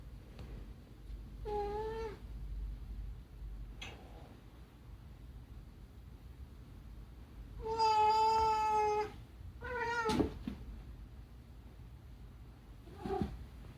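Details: Unagi, a rescued pet cat indoors, meows to make a demand: several harmonic meows, a short one near two seconds, then a long steady drawn-out cry around eight seconds and a falling call at ten, with quiet room hum between.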